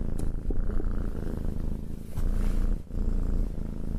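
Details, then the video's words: Petted house cat giving a low, buzzing purr in steady waves, one short pause between breaths, with light scratching and fur-rubbing sounds. "Cat Petting and Purring"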